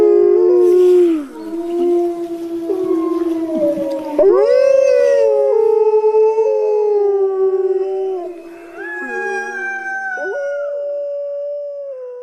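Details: Several wolves howl at once, their tones sliding and bending across each other, with a sharp new entry partway through and a long, steady howl carrying to the close.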